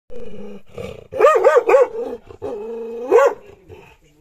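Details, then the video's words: A dog barking at its reflection in a mirror: a quick run of three loud, tonal barks, then a drawn-out whining tone rising into one more bark, with a person's voice between them. "the dog vs mirror الكلب و المرآة"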